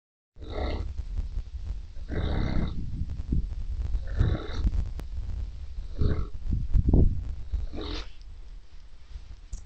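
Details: Sleeping Neapolitan Mastiff snoring: deep, rough low rumbles in uneven bursts, some with a brief nasal rasp, loudest near the seven-second mark.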